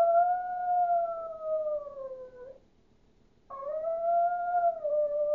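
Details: A howling Chihuahua, sounding like a wolf. It makes a loud, steady, tonal howl that drifts slightly downward, pauses for about a second, then gives a second strong howl with a sharp onset and a slight wavering rise.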